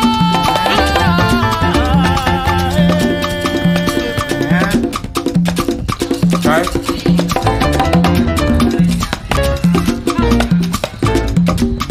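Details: Lively Latin salsa music with piano, bass and wood-block percussion throughout, and no animal voice heard.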